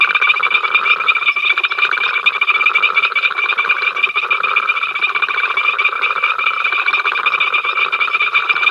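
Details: Ol Donyo frogs recorded on the africamLIVE camera, 5 October 2023, keeping up their incessant row: thick, continuous trilled croaking from many callers, pulsing quickly and evenly with no gaps.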